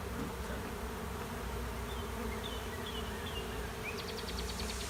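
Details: A honey bee swarm takes over an empty hive sitting at a driveway's end, bees fanning. Dense low humming persists throughout while short bird chirps and a quick high trill appear near the end.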